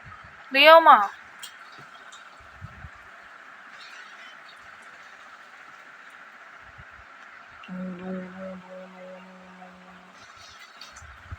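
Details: Pet cats Simbu and Leo, shown play-fighting at home: one short, loud, wavering meow near the start, then quiet room tone and a steady low droning tone several seconds later.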